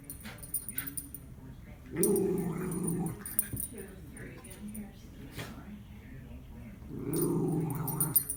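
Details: Miniature Schnauzer, a female pet, growls while playing with a treat-stuffed Kong and throwing it about to shake the food loose; two low, rumbling growls about five seconds apart, each lasting roughly a second, with soft knocks and rustles between.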